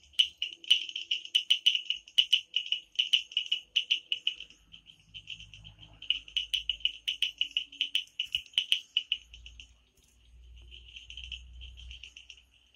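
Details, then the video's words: In the Amboli hills forest of Sindhudurg at night, frogs give long runs of rapid high tonal pulses that pause and resume, with a low hum rising faintly in the background toward the end. "बेडकांचे आवाज | sounds of frogs Amboli hills"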